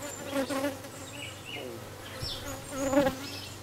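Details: Near a newly arrived dark queen honey bee, recorded 6 May 2013, a western honey bee's low, droning buzz wavers in pitch as it flies close by.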